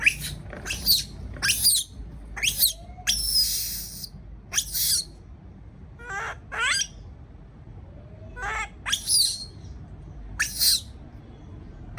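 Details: A baby monkey left alone in its cage, afraid, gives shrill, high squeals and screeches in short bursts.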